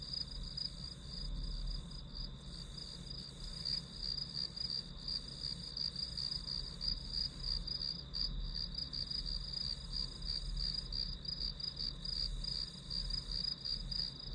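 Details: High-pitched grass insect song behind a study-with-me recording: an unbroken shrill band topped by fast, slightly uneven pulses near three per second, with a faint low hum throughout.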